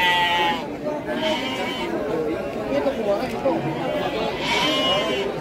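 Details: Garut sheep breeding stock at Pasar Andir livestock market in Bayongbong, Garut: a wavering, nasal bleat opens, and another comes near the end, over steady crowd chatter and nearby talking.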